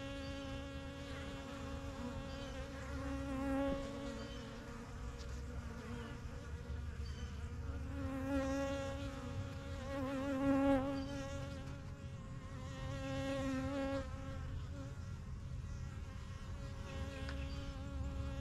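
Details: Honey bees from a strong yellow backyard hive, started in spring 2023, flying in and out of their new hive; a layered, droning buzz with individual bees swelling louder as they pass close, over a steady low rumble.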